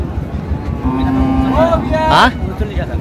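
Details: Cows at Ambari haat cattle market in Dinajpur on 11/4/25: a drawn-out, steady low moo breaks into rising harmonic tones, masked by loud bargaining voices and vehicle rumble.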